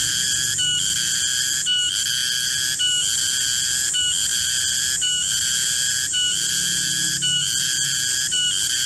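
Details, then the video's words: Garengpung cicada in a garden around midday, producing a piercing metallic whine that pulses in roughly one-second cycles, each marked by a short break. Continuous and loud, with only a soft low rumble in the background. "Suara garengpung di kebun"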